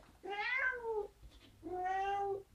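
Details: Leash-trained kitten of four months in Italy meows twice while a harness is put on for a walk: a first cry that rises then drops, then a flatter, level meow after a brief gap, in a quiet room.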